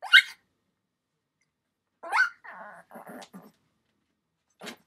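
A Shih Tzu puppy gives short, rough grunts and snuffling whines, with brief pauses between bursts.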